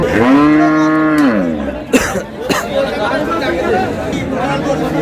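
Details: Cow with calf at Ambari haat cattle market in Dinajpur, Bangladesh, on 27 March 2026; one strong, steady harmonic moo lasting over a second, then sharp knocks and crowd talk from traders haggling nearby.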